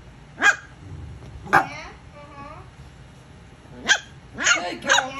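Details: Female Corgipoo puppy finding its voice, giving short high yipping barks: two single yaps about a second apart, a pause, then three quick yaps near the end, with a woman's soft praising voice in the gaps.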